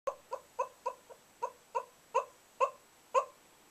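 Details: Bug, a whippet, makes soft sleepy noises while asleep indoors: nine short, squeaky, nasal whimpers come in an uneven series, roughly every third to half second, in a quiet room.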